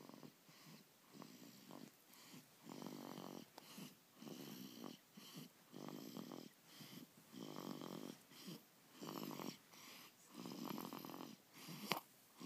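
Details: Mackenzie, a pet dog, snoring loudly indoors: rough, rattling breaths in regular bursts about every one and a half seconds, each breath a buzzing, purr-like rumble separated by short quiet gaps.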